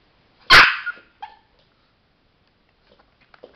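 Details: Pet male Chihuahua shown doing a trick with a light and button: one loud, sharp bark followed by a softer short yip, then faint small clicks and rustles.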